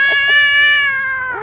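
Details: Cat during bathing, one loud sustained meow, steady in pitch and richly harmonic, sliding slightly downward at the end.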